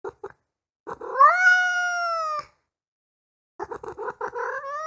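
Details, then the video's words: Kitten with a couple of short mews, then a long rising meow held steady for over a second, followed after a pause by a rapid run of short choppy mews. "Miado para atrair gatos - filhote de gato - Gatos miando - Som de Gato Miando - Miado de Gato"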